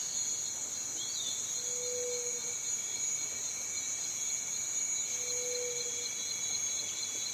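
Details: Cicada with a steady, shrill high-pitched drone that never breaks, layered with fainter continuous tones beneath; two brief low hums appear about three seconds apart.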